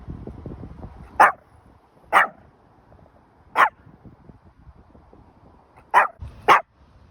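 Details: Hendo, a Pomeranian turning two years old on his birthday, lets out five loud, sharp, high yapping barks at uneven intervals, the last two close together, over quiet background rustling.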